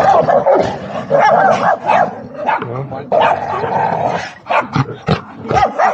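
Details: Big dogs squabbling and growling while a small dog barks; dense overlapping snarls and growls with sharp barks breaking through, a person's voice mixed in throughout.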